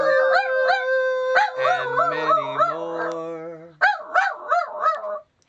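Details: Skeeter, a Miniature Dachshund, sings Happy Birthday with people. Long wavering howls sit over human voices. Near the end, four quick rising-and-falling howl pulses come alone before silence.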